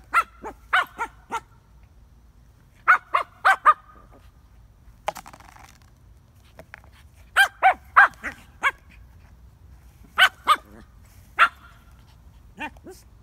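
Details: A Shih Tzu tussling with a frisbee, letting out bright, high yaps in rapid groups of two to four, spaced by short pauses, plus a brief rustling scrape midway.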